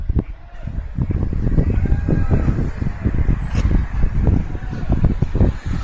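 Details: Cavalier King Charles Spaniel named Max snorting through the nose on a walk, later identified by a vet as reverse sneezing: rapid, low, rhythmic snorting pulses running continuously without pause, with faint outdoor traffic behind.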